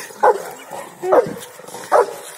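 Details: Rottweiler named Bolt, angry and playful at once, gives three short, sharp barks spaced under a second apart over a low background hiss.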